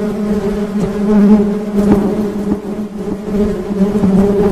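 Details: Honey bees buzzing in a full, even drone with wavering pitch, small flickers of louder wingbeats as bees move near.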